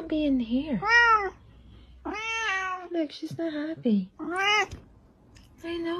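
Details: Pet cat repeatedly meowing: several drawn-out, arching, nasal calls with rich overtones, alternating with a person's gentle speech in a quiet room.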